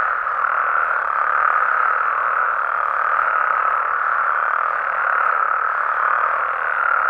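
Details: Many frogs and toads call together at night in natural Mexican habitat, their croaks fused into a dense, steady, mid-pitched buzzing hum throughout.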